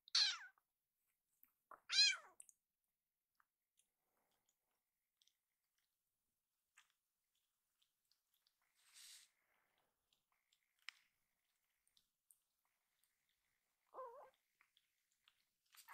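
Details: Rescued baby kitten, known for a cry heard as 'iru' ('I want'), asking loudly for more food after eating: two bright, high harmonic meows at the start, then near silence and one lower, wavering meow near the end.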